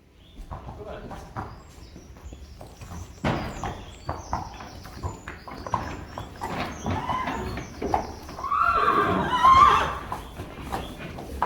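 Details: Friesian horses in an outdoor arena where a 4-day-old filly is out for the first time beside her mother; clattering hooves and human voices lead into a loud, quavering, harmonic whinny near the end.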